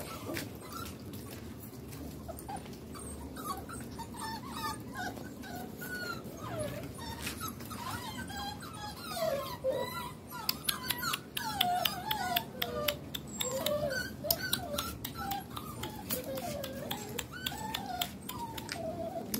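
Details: Puppies, a litter of sisters rescued from the street in southern Lazio, Italy, future medium size, heard giving many short high whimpers and yelps, rising and falling, overlapping and continuous through the recording, with clicks and handling noises in the background.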